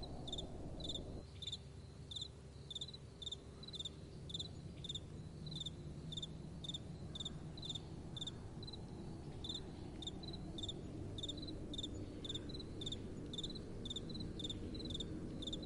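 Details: Night-time crickets calling in a soft breeze: a high, pulsed chirp repeated about twice a second in a steady, slightly uneven rhythm, set against a continuous low wind rumble.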